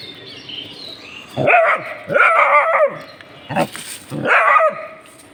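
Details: Dogs reacting to something they have found give short harmonic barks in bursts near 1.4, 2.2, 3.6 and 4.3 seconds, each rising then falling, with a quieter whining tone before the first.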